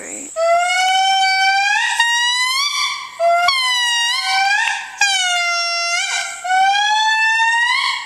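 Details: The matriarch of an indri (Indri indri) family sings in Analamazaotra Special Reserve, Andasibe, Madagascar, with long, loud, wailing notes, each held and swelling, some bending upward at the end.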